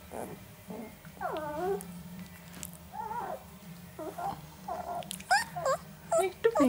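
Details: Eleven-day-old Northern Inuit puppies, three boys, giving squeaky whimpers and short bending whines in quick irregular bursts, some sliding downward, louder toward the end, with quiet human speech in the background.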